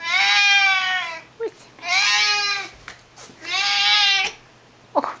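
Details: Excited pet Siamese cat, nearly eleven years old, meowing loudly indoors when its owner returns from work: three long, harsh, goat-like wails about one second each, spaced roughly every 1.5 seconds, with small clicks and rustles between.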